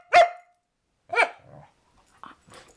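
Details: A female corgi refusing to roll over for a treat lets out a sharp, clipped bark, then a longer, wavering, speech-like yowl as if saying "I love you"; softer grumbles follow as a person coaxes.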